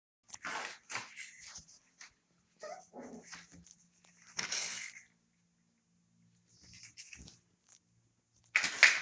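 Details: Puppies 25 days old, indoors in a living room at night, giving a scattered run of short yelps and squeaky cries with brief gruff growl-like bursts, irregular and overlapping, with quiet gaps between.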